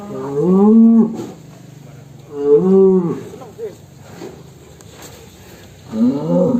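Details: Agitated fat cow coming out of its pen lows three times: deep, drawn-out moos of about a second each, spaced roughly two to three seconds apart, with faint voices between.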